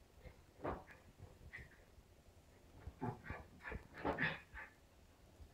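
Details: Stella, a two-and-a-half-month-old West Highland White Terrier puppy, at play alongside three-year-old Nappy: scattered short snorts and huffs, then a cluster of brief thin whimpers and whines in the last two seconds.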